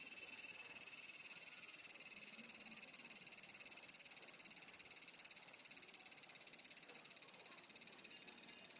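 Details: Cicada in full chorus: an unbroken, shrill, high-pitched buzz with a rapid rhythmic pulsing, slightly fading toward the end.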